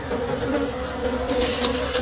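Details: Wild bees at a beehive deep in a forest during the late-season honey harvest: a steady, continuous droning hum with a low fundamental and a clear overtone, holding even throughout, with faint rustling hiss behind.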